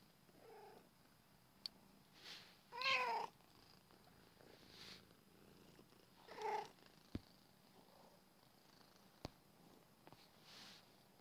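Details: Small domestic cat twisting around while purring: a faint steady low rumble underlies the clip, broken by a few brief harmonic bursts near three and six and a half seconds, plus occasional sharp clicks.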